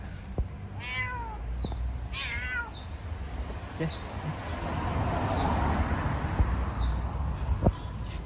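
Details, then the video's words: Female cat calling to mate with a male cat, making strange noises: two strong, bending, slightly quavering meows in quick succession near the start, then quieter short calls, with a constant low hum and rushing background noise. "The female cat meows to mate with the male cat, making strange noises"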